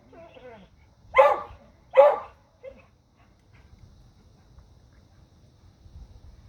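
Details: Dogs barking at a deer: a faint whine, then two strong, harsh barks under a second apart, one short soft yip, and quiet rustling after.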